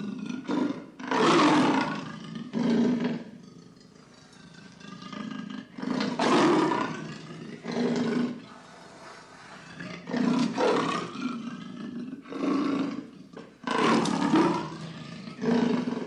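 A leopard gives deep, rasping grunts in pairs, repeated every few seconds like a saw on wood.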